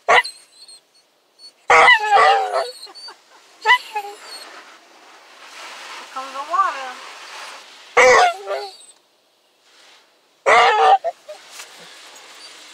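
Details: A male Basset Hound, worried during his first car wash, 'talks' in moans, whines and short bark-like yowls as soap is applied and a person speaks.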